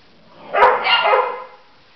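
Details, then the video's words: Three-month-old Labrador Retriever puppy Nella with eleven-year-old Libby; a single drawn-out bark, loud and harsh, lasting about one second with a rising then falling strain. "Nella 3 months old labrador puppy"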